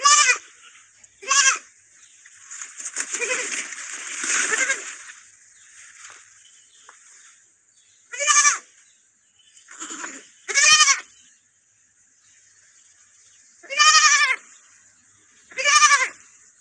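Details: Lamb kept with a small dog, bleating in short, nasal, harmonic calls that dip in pitch at the end, about seven spread over sixteen seconds, with a rustling or splashing noise in between and a steady high hiss.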